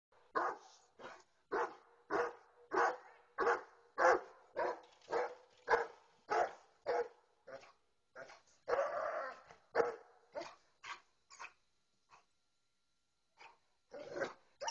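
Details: Kangal dog, Kurdish Sivas type described as a fighting and shepherd dog, barking loudly in a steady series of deep, clipped barks about every half second, pausing near the end before a few final barks.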